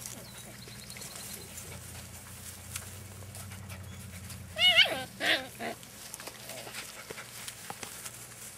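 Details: Dachshund from a Marble Falls, Texas kennel letting out two sharp, high barks about half a second apart midway through, with a low constant hum and faint clicks around them.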